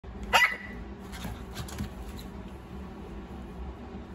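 A Maltese gives a single short, sharp, high-pitched bark indoors.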